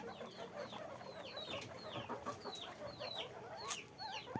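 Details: Many guinea pigs in cages on a guinea pig farm give a busy chorus of short, high squeaks that slide downward, overlapping every fraction of a second over a constant low background murmur.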